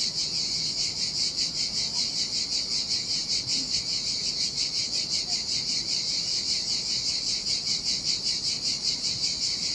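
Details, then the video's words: Cicadas singing in the summer heat beside the Sardinia sea on a desolate beach: a dense, high buzzing chorus pulsing steadily about two to three times per second without a break, over a soft low rushing background. "Ocean Waves & Cicada Sounds"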